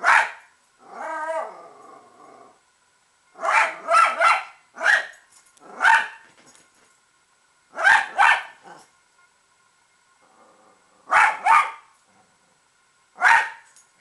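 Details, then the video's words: Mia, a pet Italian Greyhound, barking at squirrels: sharp barks in quick doubles and triples with a brief growl-like whine between, bursts spaced one to three seconds apart, otherwise quiet. "Mia Hates Squirrels"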